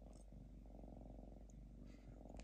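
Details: Purring from Diva the lynx, calm and relaxed at home, ear drops being given: a continuous deep vibrating rumble with fine rapid pulses, plus faint light rustling noises.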